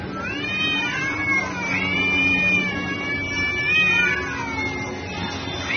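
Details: Two cats fighting at noon: a long, wavering caterwaul of high howls that swell and fall in arcs, held almost without a break over a low steady hum.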